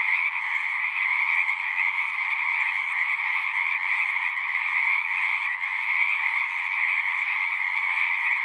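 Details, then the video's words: Many frogs calling together at a pasture pond, recorded on a handheld recorder: an unbroken, even wall of trilled croaking with two strong bands, holding steady loudness the whole time. "Frogs singing"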